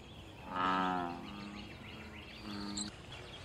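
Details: Single American bullfrog in pond water giving a loud, rich, groaning bellow tied to mating, territory and fighting, followed by a softer, shorter second note; steady background hiss.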